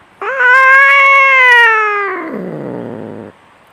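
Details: Fighting cat giving a single long yowl, steady and loud at first, then sliding downward into a rough, grating growl before cutting off.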